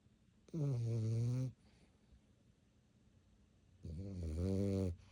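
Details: Playful dog at 11:30 at night, indoors, growling in two long, deep, snore-like bursts about a second each, separated by roughly two seconds of quiet room hum.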